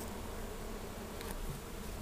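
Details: Honey bee swarm being removed from a wall beside an air conditioner, fourth floor building in Be'er Sheva; a steady, dense low buzzing hum runs through the whole stretch under broadband hiss.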